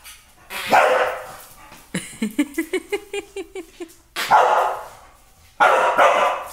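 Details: Beefy the bulldog, agitated by his most hated sound: a loud bark, then a rapid series of rising, whining yelps about every quarter second, followed by two more heavy barks.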